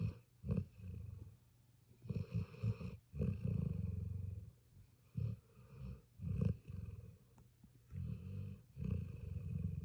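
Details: A sleeping puppy gives deep, rasping snores in uneven runs, some long drawn rumbles and some short snorting puffs, with brief silences between.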